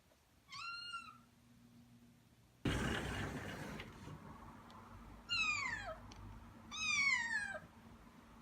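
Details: Black kitten taken in as a rescue, voice once hoarse, giving three clear meows indoors, the later two sliding downward in pitch, with a brief burst of rustling noise between the first and second.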